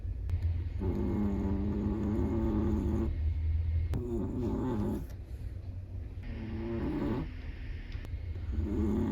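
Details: Black-and-tan Chihuahua sleeping, its snores coming in four rattling, buzzy breaths roughly every two to three seconds, the third softer, with a faint low hum and occasional small clicks.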